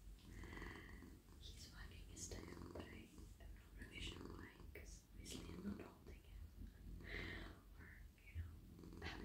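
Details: Purring of a friendly, soft male house cat being petted on the lap in the evening. A continuous deep, even rumble sits under close whispered speech and faint stroking noises.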